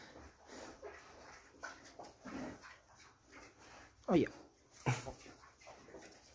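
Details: Pet Juliana mini pigs, a breed from Mexico weighing up to 40 kg, kept indoors during playful biting: two short, sharp squeals near the fourth and fifth seconds over soft snuffling grunts, with a person talking nearby.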